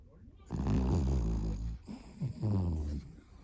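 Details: A Pomeranian-Chihuahua mix named Vanilla snores while asleep indoors: one long, deep rasping breath of about a second, then two shorter throaty snores close together.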